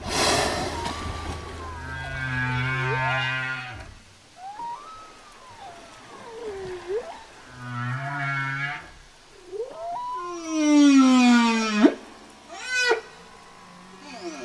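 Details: Whale singing a varied phrase: buzzy harmonic moans, arching whistled glides, low grunting pulses, then a loud descending moan and rapid upswept whoops over faint underwater rumble.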